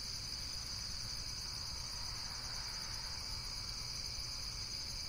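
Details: A short stretch of continuous shrill insect buzzing, high and even, with layered trilling tones and a low steady hum in the background.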